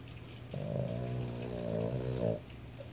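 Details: A male Boston Terrier, asleep with his eyes open, snores loudly, a long rumbling breath with a low, rattling buzz.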